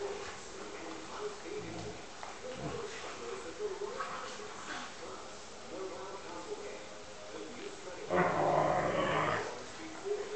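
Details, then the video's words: Two Alaskan Malamutes playfighting indoors: low rumbling growls and grumbles run throughout, building to a loud, harsh, roaring burst near the end, with human voices talking over the animals. "Alaskan Malamute - Twilight & Mica playfighting"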